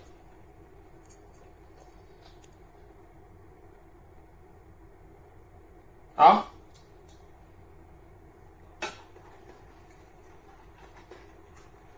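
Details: A quiet indoor hum is broken by one sharp knock and a fainter click.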